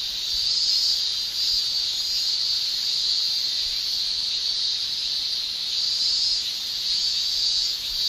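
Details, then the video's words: Japanese cicadas in summer, males producing a continuous shrill whine at high pitch, the intensity gently pulsing in slow waves, a small dip near the second mark, nothing else audible. "Japan Summer Cicada Shrilling"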